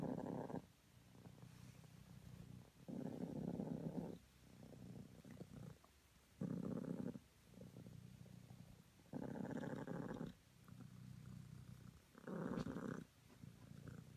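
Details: Morning purring from a cream self British Longhair cat, a continuous low rumble swelling into louder buzzy bursts roughly every two to three seconds, each about one second long.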